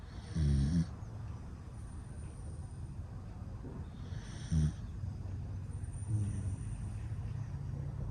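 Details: A male standard dachshund born February 2018, weighing 9.8 kg, snores in low, rumbling bursts, each breath a brief rattling snort a couple of seconds apart.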